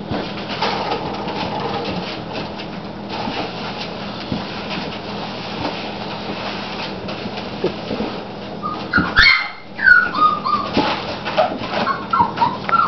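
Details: Olde English Bulldogge puppies at play: after a steady hum of indoor background noise, high whining whimpers and short yelps rise and fall in quick bursts near the end.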